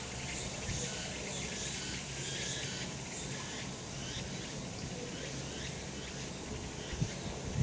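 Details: Cicada chorus from a sunlit summer mountainside, a steady shrill drone with repeated pulsing surges, somewhat softer in the high register, and a brief low knock near the end.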